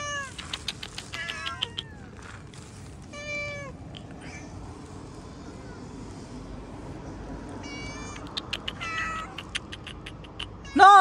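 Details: Outdoor cats meowing while a man feeds them fish and scolds one for scratching; bursts of short, rising, repeated meows at the start, scattered meows later, a loud meow at the end, and his speech throughout.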